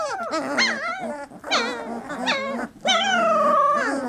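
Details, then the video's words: Whining litter of 3-week-old Labrador puppies. Rising and falling squeals are broken by short gaps, ending in a long sustained wail that slides down in pitch. "Puppy Cacophony"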